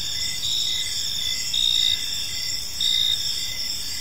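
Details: Evening crickets in a tranquil park, a thin continuous trill broken by louder chirp bursts about every second, with soft low-frequency ambient noise beneath.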